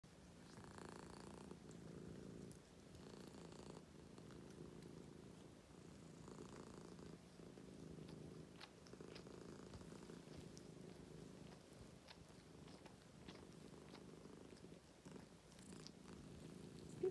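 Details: ['British Shorthair blue cats at 3 a.m. on Easter morning, washing and purring to wake their owner indoors; steady low rumbling purr throughout with soft rhythmic pulses, faint licking clicks, and a person briefly saying good morning.']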